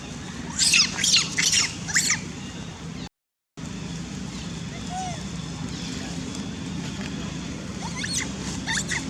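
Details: A young long-tailed macaque in the Angkor Archaeological Area near Siem Reap, Cambodia, gives shrill, rapid screeching calls, crying out for its mother's help while another monkey threatens others.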